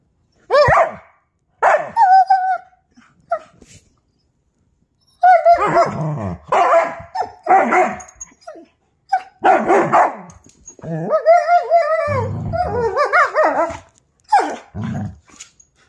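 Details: German Shepherd Husky mix dog, one of two talking dogs, indoors: loud, drawn-out, yodelling howl-like vocal bursts rising and falling in pitch, in short groups separated by pauses, with a longer run of wavering calls near the end.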